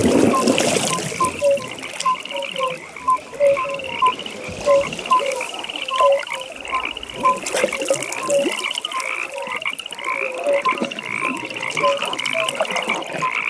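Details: Evening chorus of frogs at a pond, short paired croaks at two pitches repeating in quick succession, a fast high trill running throughout, and a loud rustling burst at the start.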